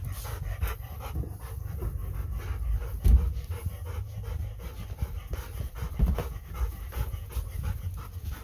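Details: Golden Retriever panting rapidly and steadily, short breathy puffs several per second for the whole stretch, while the household's two Golden Retrievers, Kohaku and Bis, cling to a visiting daughter who came to play, at a goodbye greeting.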